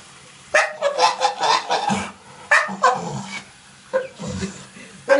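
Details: A pit bull standing in a bathtub begs for water while a woman uses the bathroom sink, giving strange yelping whines and groans in quick bursts.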